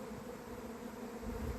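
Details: Honey bee swarm at an apiary, 28 April 2026, the first of the year and earlier than usual locally; a thick, even buzzing drone that swells slightly toward the end.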